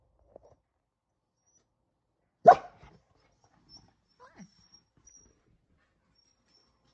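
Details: Kumo the Keeshond, a pet dog on watchdog duty, gives one sharp, loud bark in a quiet room, then only a few soft, faint sounds and near silence.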